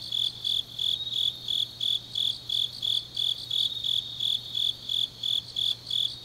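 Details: Grass insects calling on an autumn night in Changnyeong, Gyeongnam province, Korea. Crisp high chirps follow in a regular beat of nearly three per second, with a faint steady hum in the background.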